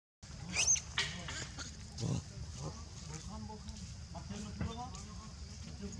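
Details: Rainbow, a little monkey, crying loudly when Luna acts on her: a sharp shrill squeal early on, then shorter wavering cries amid low background noise.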